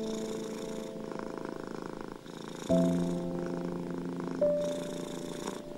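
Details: Domestic cat purring, a steady rasping rumble that swells and fades in cycles roughly every one and a half seconds, under slow, sustained piano notes played as soothing music for anxious, ill and stressed cats.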